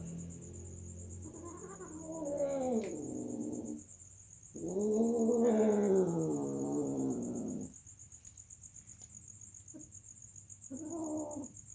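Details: Cats mating: loud, drawn-out caterwauling yowls, first a rising-and-falling wail, then a longer, louder harmonic howl of about three seconds, then short trailing cries, with a steady high thin whine behind them.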